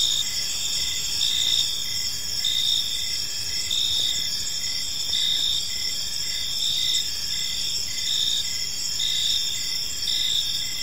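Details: Evening crickets chirping in a park, a high continuous trill with rhythmic pulsed chirps repeating a little slower than once a second, constant soft background noise.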